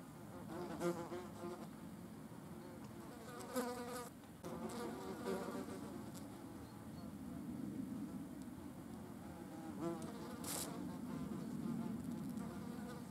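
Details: Wasps feeding on a carcass. Several overlapping, droning wing buzzes hum steadily throughout and rise and fall as insects come and go. A few brief louder passes stand out near the start and around the tenth second.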